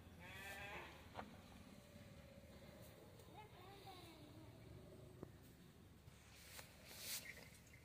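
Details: Punganur cattle calves calling: a short harmonic bleat-like cry near the start, then a wavering, arched call in the middle, over steady background hum and scattered clicks.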